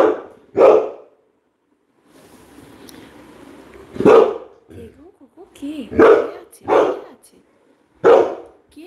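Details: Labrador Retriever giving single loud, abrupt barks spaced a second or more apart, five in all. Softer whimpering and a woman's voice calling the dog are heard between barks.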